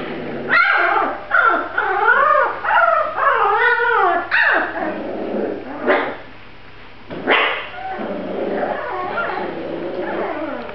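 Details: Grand Basset Griffon Vendéen puppies at a kennel: clear wavering whines that rise and fall, mixed with sharp yelps and brief growly yips, in bursts separated by short pauses, over a low steady hum.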